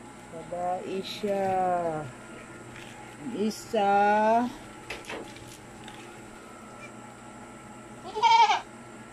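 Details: Recently kidded pet goat: three separate quavering bleats, a long wavering one near the start, another around four seconds, and a short sharp one near the end, over a faint constant hum.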